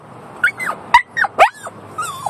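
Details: One-year-old Yorkshire Terrier screaming while riding in a car: about six high, whining yelps, several rising then sliding down, spaced unevenly over a low steady car hum.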